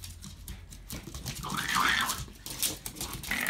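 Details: Rat terriers Ricky and Milos playing together at work, one trying to tie up the other; a wavering, rising and falling whine-like vocalisation rises out of rustling and scuffling movement noise.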